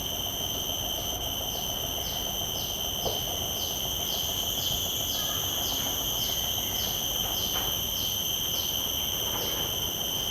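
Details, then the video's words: Common cicada in a field recording made with shotgun microphones: a steady, piercing high whine with bright overtones, overlaid by a rhythmic pulsing buzz repeating about every half second. Faint low background rumble. "Calls of a Common Cicada"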